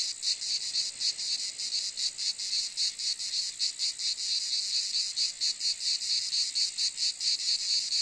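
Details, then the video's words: Cicada calling in a steady, high, hissing buzz broken into pulses, a little over two per second with slightly uneven spacing, continuing without pause over eight seconds; no other sounds stand out. "Cicade geluid / Zikaden sound / Zikaden zirpen / Cicada sound effect"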